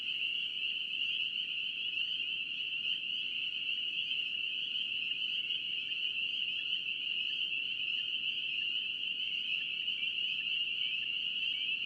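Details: North Carolina spring peeper frogs in full chorus; many overlapping shrill peeps blend into an unbroken high whistle-like drone at an even loudness, with quiet broadband noise underneath.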